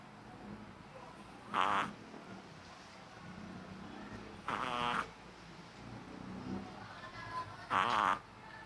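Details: Maki, a three-month-old Shih Tzu puppy, snores loudly while asleep. Three rasping, buzzy snores come roughly every three seconds over a quiet background hiss.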